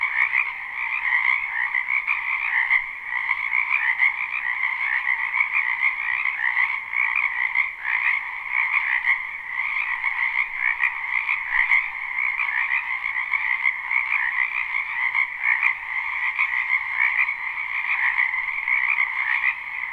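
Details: Frogs calling at night in a springtime backyard wetland, a live unlooped recording: many voices merge into one unbroken, buzzing trill chorus that holds level throughout, with faint rhythmic pulsing and no other clear sounds.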